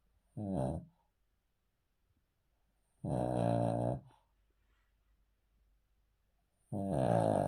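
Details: Male Cavalier King Charles Spaniel asleep on the floor indoors, snoring: three long, rasping, buzzy breaths, each about a second long, separated by roughly two-second quiet gaps.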